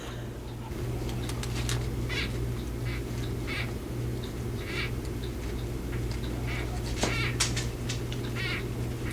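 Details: A gravid female crested gecko, due to lay within about a week, gives short, scratchy chirps in irregular bursts while being moved off glass, tail wiggling and head shaking, rejecting a perceived male.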